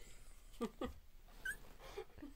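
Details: Two-week-old Border Collie puppies at their first play together; a few short high whimpering squeaks, two close together then a softer pair, over a quiet room background.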